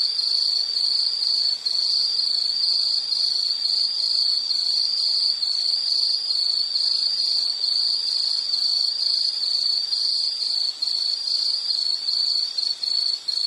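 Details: Continuous shrill insect call: rapid, evenly beaded pulses on a single high pitch, with faint higher buzzing above and occasional slight dips in loudness.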